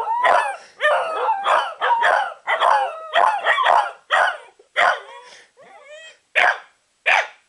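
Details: Two Corgis, set off by their owner, give a string of short, wavering yowls and yips, each rising and falling in pitch.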